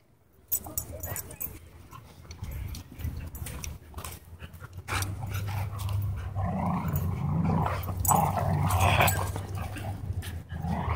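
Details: An aggressive husky pins another dog at a dog park: a steady low growl rumbles for several seconds and swells louder toward the end, mixed with snarls and scuffling. Human voices are heard nearby.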